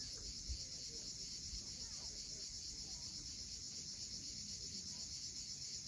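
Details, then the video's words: Sunset cicada chorus above the sea at Cape Fiolent in Crimea, an unbroken shrill, finely pulsing buzz holding level throughout, over a soft low wash of waves. "Cicadas at sunset."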